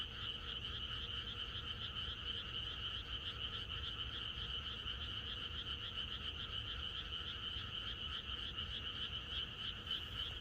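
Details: Rural night chorus of frogs ahead of rain, countless voices croaking at once in a fast, throbbing mass, the higher band especially bright and even, a faint steady hum lower down.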